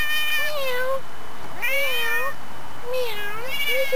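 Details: A neighbour's domestic cat meowing non-stop, recorded September 18, 2013: three drawn-out, tonal meows, each about half a second to a second long, arching up and then down, separated by short pauses, with a faint background hiss.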